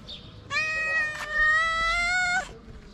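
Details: Stray cat in Morocco begging loudly for food: one long, steady, strained meow lasting about two seconds, harmonic-rich and level in pitch, rising slightly at the end, with faint background noise.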